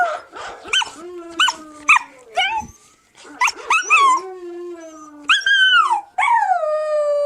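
A young Siberian Husky gives a run of high, quavering howls and yelps, each bending up and then sliding down. A lower, steadier howl, likely a person howling along, runs beneath it.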